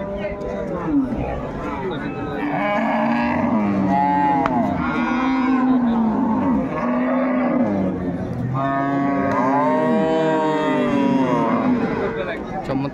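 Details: Improved-breed dairy cow at Ambari haat livestock market, 21 May 2024, lowing repeatedly: a string of sustained, wavering moos of a few seconds each, with people talking and bargaining in the background.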